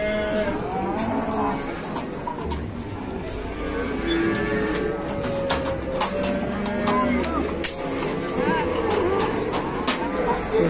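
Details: Cow caught and pinched while getting down from a truck, said to be sick and exhausted; diffuse, low moaning moo under steady background noise, with scattered clicks and knocks and faint human voices.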